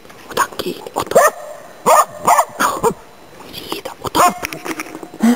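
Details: Autumn 2010 in Inari, Finland: a Finnish Spitz used for hunting waterfowl and game birds barks in short, clipped, high yaps, some in pairs, spaced irregularly across the recording.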